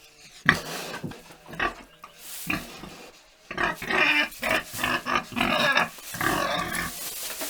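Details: Pig on a farm making uneven, throaty grunts and snuffles that build into a denser, louder cluster of raspy oinks in the second half.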